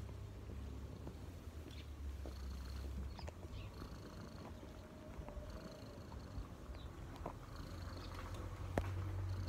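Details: Cat purring while resting relaxed on a person's knees: a deep, even rumbling drone throughout, occasional faint higher tones and soft handling noises over the top.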